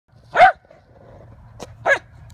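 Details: Lakeland Terrier playing frisbee in 2017: two short sharp barks about one and a half seconds apart, the first louder, with a brief click between and a person urging it to get it right after.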